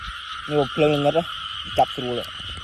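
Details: Several flat, deep, nasal frog croaks at night, each about a quarter second long, come in a short sequence. A dense, steady insect chorus continues behind them.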